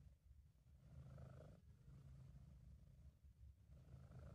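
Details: Contented British Shorthair cat Sabu producing a low, steady purr, one stronger swell early then an even rumble that starts to rise again near the end, amateur recording without other noise.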